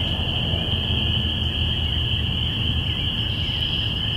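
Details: A springtime chorus of spring peepers, recorded in binaural audio on April 5, 2017. Countless shrill peeps merge into one continuous high-pitched ring above a constant low background rumble.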